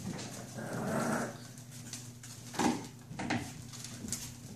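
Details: Puppies at play: a drawn-out low whining growl swells near the first second, then two short grunting yips follow about a second apart, with scuffling clicks and a steady low electrical hum underneath.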